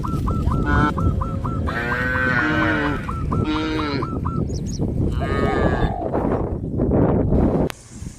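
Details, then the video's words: Village farm cattle, a herd walking out to green grass fields, give a long, rich lowing moo in the middle, while strings of quick hooked honks repeat before and after it. "A herd of cows heading towards the green grass fields, sound of cows"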